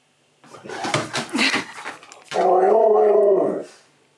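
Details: Husky talking and arguing after trying churros for the first time, wanting more: a short burst of choppy vocal sounds, then a sustained wavering howl-like whine with clear harmonics, with a person speaking nearby indoors.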